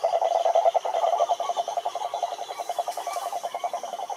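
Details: Rhinella marina, the cururu or cane toad, singing wild at a lake in Brazil's Atlantic forest: a dense, rapid low trill of rattling pulses, strongest at the start and easing gradually.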